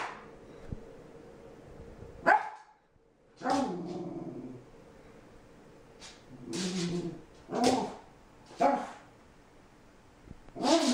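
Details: Frustrated puppy that sneezes when frustrated: a sharp sneeze-like burst, then short harmonic whines and yelps in separate bursts spaced a second or two apart.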